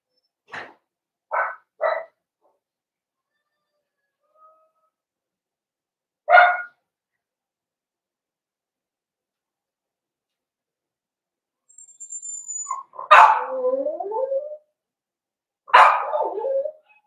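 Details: Cavalier King Charles Spaniel puppies, four weeks old, in an indoor home puppy pen: a few short sharp yips early on, then a drawn-out whine sliding downward with wavering overtones, followed by another brief yelp.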